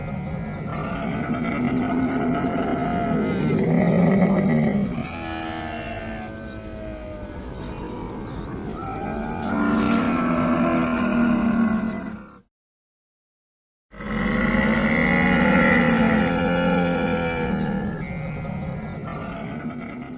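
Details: Camel giving long rumbling, gurgling bellows with stacked overtones, swelling and fading in drawn-out bouts, broken by a short silent gap before the groaning continues to the end.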